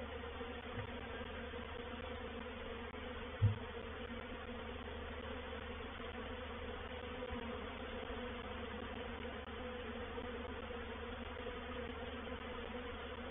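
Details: Honey bee reproductive swarm entering a bait hive, or swarm trap, at Painted Peacock Manor, 4 July 2021; continuous low, even droning buzz with one sharp knock early on.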